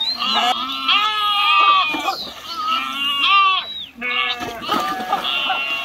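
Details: Sheep swimming and jumping into a river during a crossing give loud, wavering bleats with strong vibrato, several overlapping calls rising and falling across the clip with short gaps between bursts.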